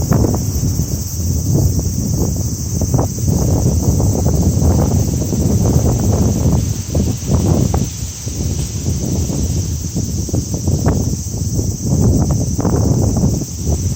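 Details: Cicadas singing as summer begins, one flat, sustained high-pitched whine over a long stretch of wind-tossed, rustling branches.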